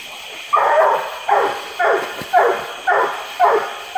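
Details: A Treeing Walker Coonhound trees in a small swamp in the woods near Indianola, Mississippi, on a hot July 12, 2016, barking steadily with loud chopping barks about once every second.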